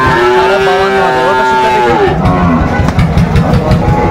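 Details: Cattle lowing among bull calves bought by a farmer in Shariatpur, Bangladesh: a drawn-out, steady moo for about two seconds, then motorcycle and vehicle noise with a crowd murmuring.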